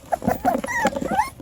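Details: Five-week-old Beagle puppies, very vocal and still active and noisy after filling up on kibble and raw food. High whiny whimpers and yips, some sliding upward, come in quick bursts, with a woman cooing softly.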